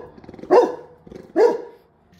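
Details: Labrador Retriever chasing a bee, which it loves to do despite being stung once: two short, sharp barks about 0.9 seconds apart, each a bright burst over a low rumble, with a person speaking softly in between.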